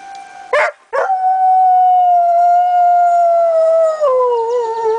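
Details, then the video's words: A long, loud, sustained howl from Lazarus, a dog answering the monthly tornado sirens, July 1, 2009. It opens with two short bursts, then a steady tone that slowly sinks lower, with a sharp drop near the end. "Lazarus howling at the sirens"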